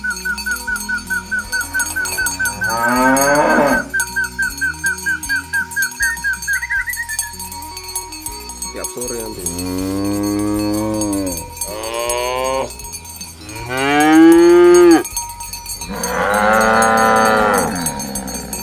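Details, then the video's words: Healthy, well-fed cattle walking to the field in the morning, herded by a shepherd: a steady rhythmic tapping tone first, then three long, drawn-out moos, each rising then falling, the last the loudest. "Suara Sapi Moo"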